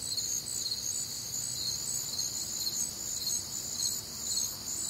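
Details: Warm humid summer night in the Midwest filled with crickets: thin piercing chirps pulse rapidly in overlapping high bands, a constant insect chorus with only a gentle low hum behind.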